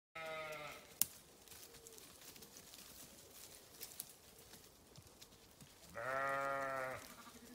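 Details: Grazing sheep on a farm: one harmonic-rich bleat opens, then a long quiet stretch with faint rustling and a sharp click, then a second, louder sustained bleat of about a second near the end.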